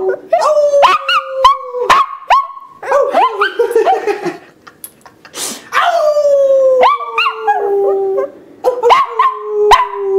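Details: A small male Yorkie Shih Tzu mix, still learning to howl properly, howls in wavering, falling notes broken by sharp yips.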